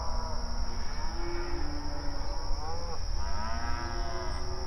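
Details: Cattle on open range pasture while grazing, calling to one another; several moos, some rising and bending upward near the end, overlapping with low background rumble and steady hiss.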